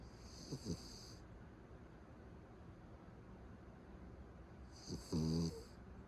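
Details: Sleeping Beagle's escalating snore: a brief rasp at the start, quiet breathing, then a loud buzzy, rattling snore near five seconds.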